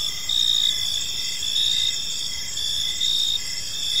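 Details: Evening chorus of crickets in a quiet park. Shrill continuous trills layer over one another, while a lower chirp pulses in short bursts roughly every second. No other clear sounds.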